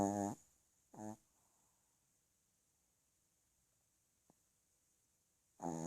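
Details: A sleeping dog snoring indoors, with two short buzzy harmonic snores at the start, a long quiet gap with a faint click, then another snore beginning at the end.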